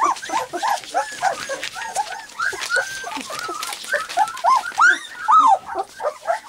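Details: Three-week-old white English cream Golden Retriever puppies walk, play and try out their first barks, yipping and whining together in a busy chorus of short, high, rising-and-falling cries.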